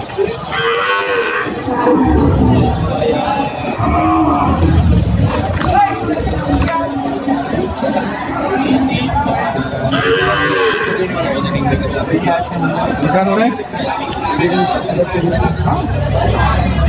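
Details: Cattle, breeding cows and heifers, at the Padre Garcia livestock auction market in Batangas, Philippines, on 26 July 2024; several drawn-out, low, harmonic moos rise above constant crowd chatter and auctioneer speech in a busy, noisy market.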